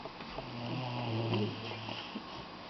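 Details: Doberman puppy snoring while napping, a low, rough, droning breath with a steady hum that swells and fades over a couple of seconds, indoors.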